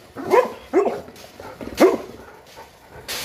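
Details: Boerboel, also called South African Mastiff, a pet kept in Egypt, during a weekly cleaning session: three short, tonal yelping barks, the first two close together and the third after about a second, with household noise between.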